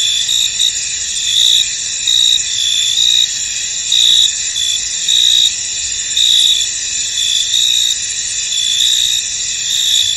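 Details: Misty-field crickets chirping together, an unbroken high, buzzing trill with brighter pulsing notes recurring close to once per second, nothing else audible.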